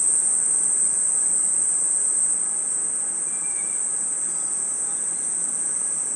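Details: Crickets and other insects chirping at night in a forest, merging into a steady, unbroken high-pitched shimmering drone with no separate pulses, holding an even level throughout, with a faint brief whistle near the middle.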